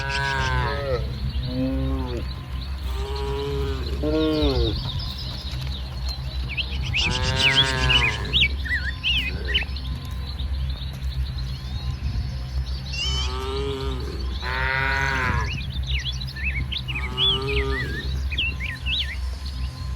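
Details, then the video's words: Dozens of tame cattle roaming a muddy rice-field area in the morning, eating grass; several long, deep moos sound one after another, some overlapping, over a steady low rumble, with faint chirps in the background. "Suara Sapi Moo"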